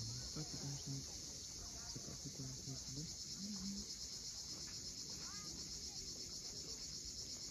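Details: At sunset on Crimea's steep Cape Fiolent coast, cicadas keep up a constant high-pitched hiss-like drone, while short low tonal sounds and the wash of surf sit underneath.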